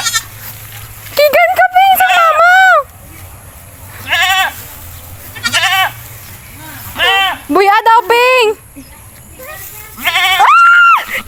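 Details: While a child plays with it, a goat bleats again and again: quavering, nasal cries in short bursts every couple of seconds, the last one higher and drawn out, among loud chatter and exclamations.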